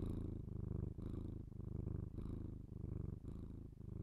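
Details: House cat purring, binaural ASMR capture indoors; low buzzing rumble swelling and easing over roughly five breaths, slight pauses between inhale and exhale, no other sounds.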